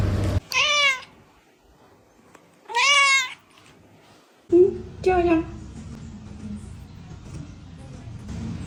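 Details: Cat meowing indoors; three drawn-out, wavering meows, the first two loud and high, the last lower and broken, with a person speaking and background noise toward the end.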